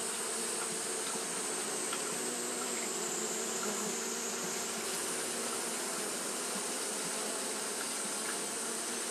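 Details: Steady mass wing-buzz of Japanese honey bees fanning through a hot day, a level droning hum with a high thin whine, with faint soft ticks scattered through it.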